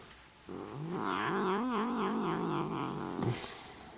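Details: A neutered male Desert Lynx hybrid cat gives a long, wavering yowl that rises and falls in pitch while playing and "talking".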